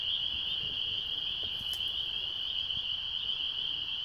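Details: Frogs calling in Michigan during mating season: a dense, unbroken high-pitched chorus of overlapping shrill trills rings steadily through the whole stretch, forming one continuous band with no pauses and no other clear sounds.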